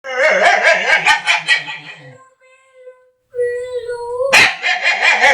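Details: Dog making funny noises: rapid pulsed whining yips with wavering harmonics for two seconds, a thin sustained tone through a quiet gap, then a sharp burst of loud yelping whines.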